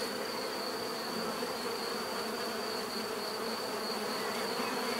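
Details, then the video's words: Continuous buzzing of many bees, an even drone with a faint steady high-pitched whine above it, unbroken for the whole stretch. "bees therapy relaxing natural buzzing sound"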